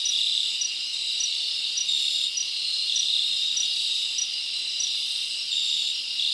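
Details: Crickets chirping at night in a summer forest: a dense, steady high-pitched trill with short pulsed chirps repeating through it, and no other clear sounds.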